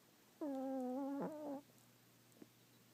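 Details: A Chihuahua snores in deep sleep, one steady humming whistle held for about a second with a brief catch near its end, then quiet.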